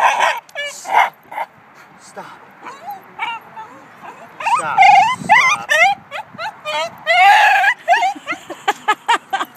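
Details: Excited two-year-old cream Shiba Inu at a dog park gives scattered yips and squealing, sliding yodel cries, building to a wavering run midway, mixed with people talking.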